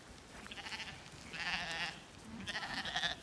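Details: Zwartbles sheep, lambs and hoggets, on a regenerative farm in County Kilkenny, Ireland, on a fine evening. Three bleats are heard one after another, each a wavering, nasal tone. Between them lies a quiet field background.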